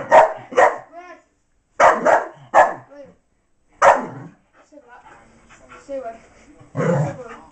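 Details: Blaze, a female miniature English bull terrier, barks while trying to get her hidden toy out of a box: six sharp, harsh barks in two quick clusters, then a person talking over softer sounds.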